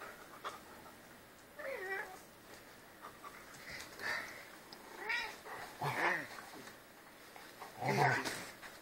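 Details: Albino house cat "talking" at home, sharing the house with another cat and two dogs; a run of short, wavering, bending meows about once a second or two apart, separated by quiet room tone and faint human voices.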